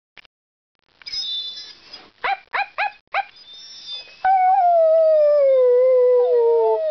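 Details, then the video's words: Talkative pet dog vocalizing: a few quick yips, short stacked barks around the middle, then one long sustained howl that slowly falls in pitch for nearly three seconds. "the Singing/Talking DOG"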